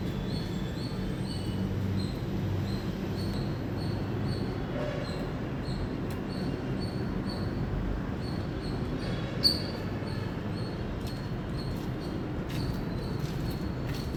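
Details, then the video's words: Indian squirrel giving a long run of short, high, sharp chirps, repeated roughly twice a second with brief pauses, over a constant low rumbling background noise. "Loud Squirrel Chirping Sound"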